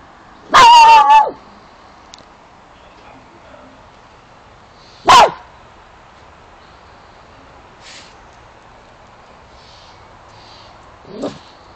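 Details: A dog barks at something unseen while a second dog pays no mind: a quick double bark, a single bark, and a faint one near the end.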